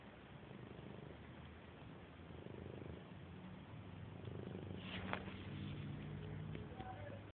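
A Siamese cat purrs in a steady, low, rumbling throb that continues throughout.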